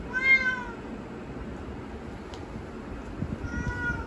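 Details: Domestic cat meowing indoors because it wants to go outside; two harmonic meows, one at the start and a second near the end, with a quiet pause between them.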